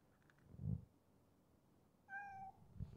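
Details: Ginger street cat meowing at a midnight feeding: one short, clear, level meow after a dull thump, with soft handling noises around it.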